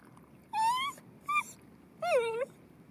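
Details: Rocky, a Cairn Terrier at a bathing pond, gives three thin, high-pitched whines, the first rising, the second brief, the last bending down then up, over a low murmur of background noise.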